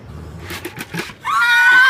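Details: A horse at Kentucky Horse Park gives the start of a high, tonal whinny that slides upward, after brief human speech.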